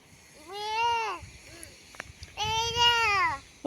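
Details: Sheep in front of a house at a sheep farm: two drawn-out, harmonic bleats of under a second each with a short pause between them, while a child's voice and quiet talk sound in the background.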